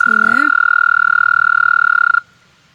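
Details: A male toad swimming in water and trying to mate, with other toads nearby, gives a steady, high, rapidly pulsed trill, a mating call lasting about two seconds.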